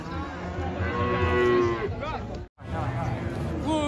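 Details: Agitated cattle being caught and unloaded from a truck give long, drawn-out lowing moos with a rich harmonic, slightly wavering tone. People talk excitedly nearby, with a brief silent gap partway through.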